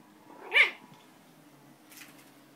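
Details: Poodle puppy giving a single short, high, harmonic whimper that rises then falls, followed by a faint rustle near the end.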